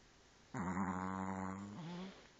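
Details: Chihuahua snoring while dreaming with its eyes open: a single drawn-out, low, nasal droning tone lasting about a second and a half, with a brief softer tail at the end, set against a quiet background.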